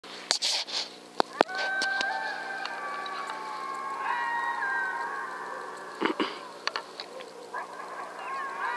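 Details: Distant coyotes, heard during a coyote hunt, howl together across a field in long, wavering, overlapping tones, with sharp clicks and knocks nearby.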